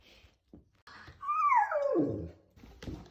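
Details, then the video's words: Domestic dog making a cute noise while stretching indoors: a single drawn-out whine that starts high, slides steadily downward and ends in a low groan, with faint thumps and soft music around it. "Dog Makes The Cutest Noise When He Stretches"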